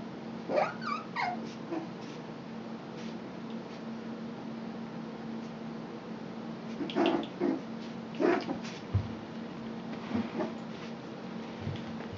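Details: Poodle puppies giving short high whimpers and yips in a few bursts near the start and again around the middle and late part, over a steady low indoor hum.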